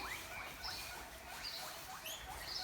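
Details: Hungry guinea pigs on a farm wheek loudly, with high rising squeals repeated rapidly as they beg for food and are fed grass, in hot weather during the 2020 lockdown.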